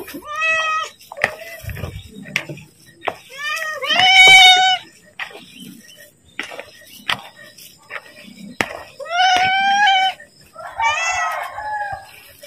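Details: Hungry house cat calling to be fed, several short, rising meows spaced a few seconds apart, one harsher and more strained, mixed with frequent human talking and handling noises.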